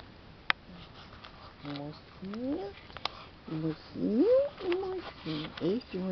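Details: Newborn male Basset Hound puppy grumbling while handled in a cold room: a series of short, whiny, rising squeals and grumbles, with a woman talking to the puppies in Portuguese.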